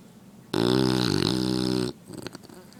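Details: A female English Bulldog snoring while asleep: one loud, rough, buzzing snore lasting about a second and a half, steady and rattling, then quiet snuffling breath afterward.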